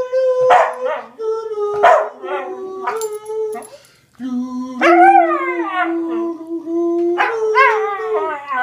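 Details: A rescued Cocker Spaniel howls along to "Hark the Herald Angels Sing", giving long, steady tones that slide up and hold each note with the tune.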